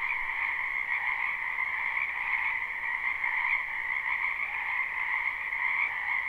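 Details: Chorus of many frogs from a spring wetland behind a home, live and unlooped; a smooth, continuous high trill layered in two bands, steady in loudness, with nothing else audible.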